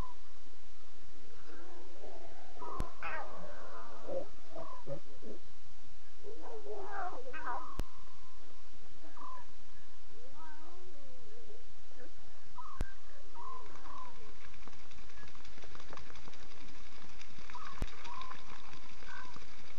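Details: Lion cubs vocalising at 2:40 a.m. CAT on 5 October 2016 during a live safari broadcast: a busy stream of varied mewing and warbling calls, some rising and falling, with occasional sharp clicks over low background rumble.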